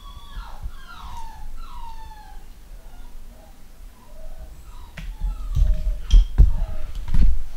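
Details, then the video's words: Home-bred pedigree Long Haired Miniature Dachshund puppies from a UK litter giving a run of descending whistled whines early on, then fainter squeaks amid thumps and handling noise indoors. "New litter of Pedigree Long Haired Miniature Dachshund"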